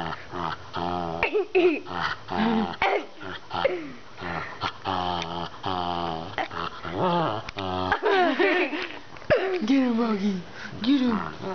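A Shetland Sheepdog makes a run of wavering, whiny talking noises while a person repeats encouragement.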